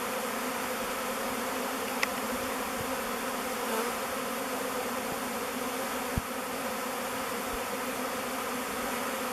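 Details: A swirling mass of honey bees circles the mouth entrance of the Bee Beard log hive it has picked as a new home, making an unbroken, even buzzing drone with a couple of sharp ticks.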